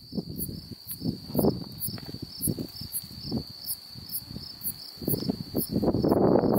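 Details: Unknown insect recorded calling on July 8, 2019 in Beaver County, Oklahoma, giving a continuous high-pitched drone with regular brief higher pulses roughly twice per second, while rough low rustling noise comes and goes, swelling near the end.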